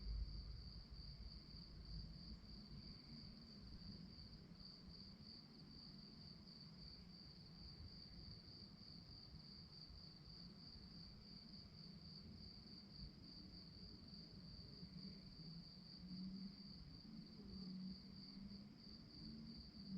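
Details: Crickets chirping at night: a faint, steady high-pitched trill of rapid even pulses runs throughout, over a constant low rumble of background noise.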